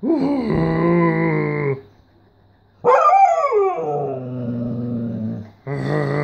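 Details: Siberian Husky 'talking' with its owner: a sustained steady howl, a pause, then a rising-falling yowl that flattens into a long level moan, followed by another steady howl cut off at the end.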